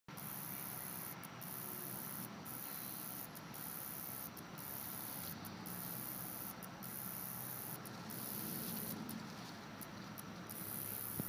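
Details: A short-winged meadow katydid at Trailside Museum makes a very high, hissing buzz broken by brief pauses.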